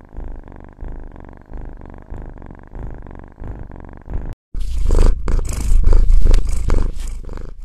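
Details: Pet cat's low purr with a gently throbbing rhythm, then an abrupt cut to a much louder, closer and rougher purring rumble filling the second half.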